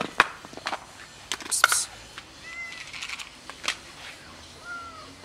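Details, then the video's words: Cats begging to be fed, giving two or three short bending meows amid sharp clicks, taps and knocks, with a faint hiss in the background. "Feed us, please... Cats tell me"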